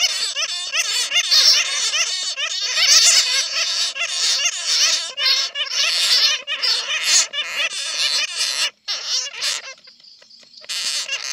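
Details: Bats recorded after being caught in a net, used as a lure sound: a dense, overlapping chorus of shrill, rapidly wavering squeals and chatter that fades to near quiet around the ninth second before the squeals return.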